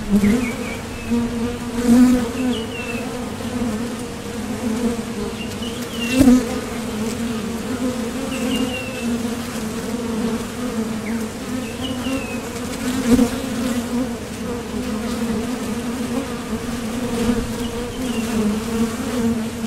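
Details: Honeybees coming and going at the entrance of a Top Bar Hive as foragers leave for nectar or land. A steady, low droning hum with an overtone, swelling at about 2, 6 and 13 seconds, with faint thin chirps high above.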